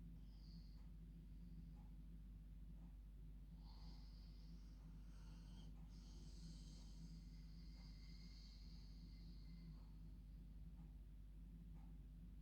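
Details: Female dog snoring like a human while asleep in her bed at bedtime; soft rasping breaths recur every second or two over a steady low hum, with a faint whistle near the middle.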